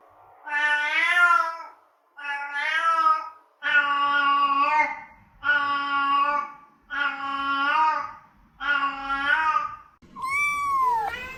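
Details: Domestic cat meows, offered as sounds to attract cats and find hiding ones: six long harmonic meows about a second or more each, separated by short pauses, with a higher, different cat call at the end.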